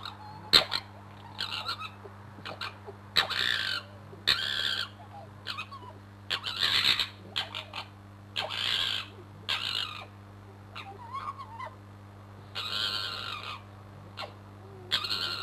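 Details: A fox fighting and posturing under a bedroom window at night gives loud harsh screams in repeated bursts, each about half a second to a second long, with short gaps, over a steady low hum.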